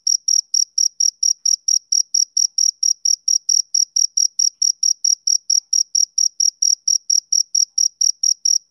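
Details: High, metallic chirps from a male cricket on a summer evening repeat quickly and evenly, around four per second, as a clean continuous pulse train against total quiet.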